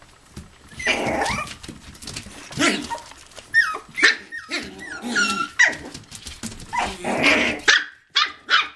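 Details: Indoor living room play area, 11/9/07, where toy poodles and Pomapoos romp together: a run of quick high-pitched yips and short barks mixed with low play growls, with background music.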